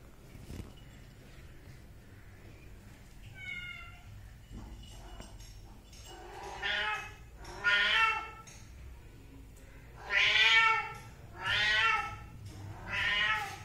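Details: Kitten giving a string of loud, rising-then-falling meows, growing stronger and closer together in the second half, about one every second or two, after a faint early call over low background hum.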